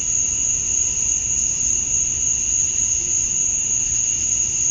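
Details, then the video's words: At dusk on a summer night in Georgia, USA, male cicadas sing to draw females: an endless high, thin buzzing tone layered over a softer mid-pitched band, holding steady the whole time. "Cicadas at Dusk, Summer Night"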